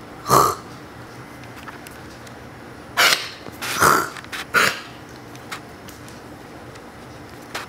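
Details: A one-and-a-half-year-old Siberian Husky copies its owner's coughs with harsh, breathy, cough-like bursts, some carrying a slightly voiced, growly tone. There is a short pause before a quicker run of three.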